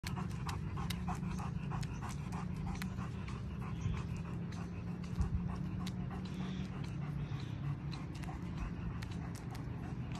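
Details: German Shepherd dog on a morning walk, panting in quick rhythmic breaths about twice a second over a constant low rumble of outdoor noise.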